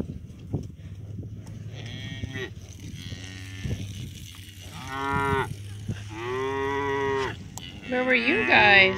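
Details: Young cows that came running up to a farmer, calling with several drawn-out, harmonic moos, some rising and wavering at the end, over a low idling engine hum; a farmer speaks to them around the calls.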